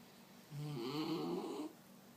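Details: Picasso the Mexican hairless dog gives one drawn-out, raspy snore of just over a second, low and throaty with a nasal flutter, against faint background hum.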